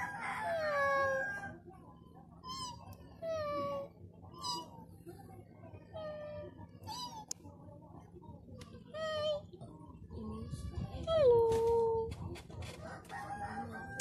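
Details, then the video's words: Frightened kitten mewing repeatedly in short, high, wavering cries, quick bursts every second or so, ending in one longer falling meow over a low steady hum. "Scared kitten"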